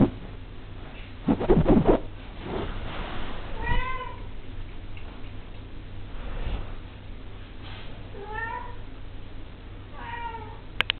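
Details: A 5-week-old Devon Rex kitten gives high, thin meows, each bending upward then falling away.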